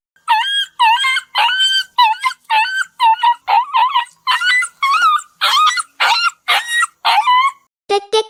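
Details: A dog gives a rapid string of sharp, high yelps, each a brief wavering cry; a yelp is a sudden, high cry that signals the dog is going through something painful.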